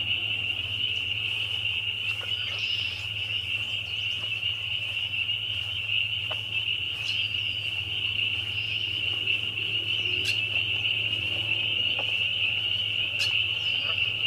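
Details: A loud chorus of many spring peepers: countless high peeps blend into one steady, shrill ringing band that holds without a break for the whole stretch, with a few fainter clicks and sharp chirps scattered over it.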